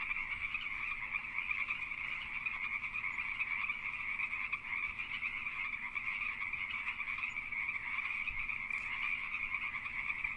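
Pacific tree frogs call together in a steady, overlapping chorus of raspy croaks that never lets up. These are breeding males advertising to females during the mating season.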